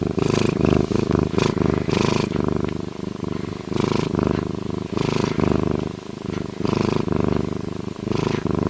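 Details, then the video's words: Lynx purring: a low, rough, pulsing rumble in rapid rhythmic bursts, several per second, with brief brighter, harsher surges layered over the steady throb. "Lynx sound effects - Lynx purring"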